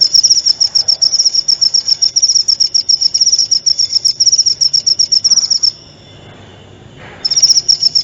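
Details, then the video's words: Cricket sound used as shama training material: a rapid, regular high-pitched chirping trill for almost six seconds, a pause of about a second and a half, then the same pulsed chirping resumes. "masteran suara jangkrik jernih!"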